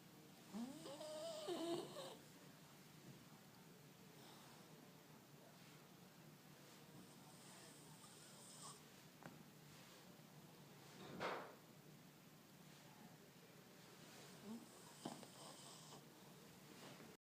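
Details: Beagle asleep indoors: softer, irregular snoring with wheezy, whistling breaths and snuffles, several bursts over about seventeen seconds against a low steady hiss.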